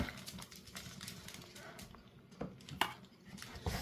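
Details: Two Shih Tzu dogs give a few short, sharp barks, asking for food as their meal is prepared.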